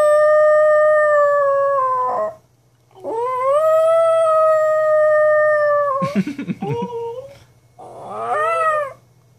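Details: Pet dog Atlas, unhappy with its owner's silly sounds, gives two long, level howls separated by a pause. These are followed by a burst of broken, wavering yelps and a final shorter howl that rises and then drops away.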